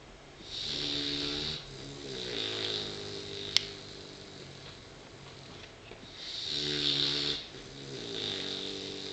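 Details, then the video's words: Indy, a tired puppy asleep at lunchtime indoors, snoring: two long rattling, harmonic snores about six seconds apart, each with a hissy breath between, plus a single sharp click midway. "Snoring Puppy"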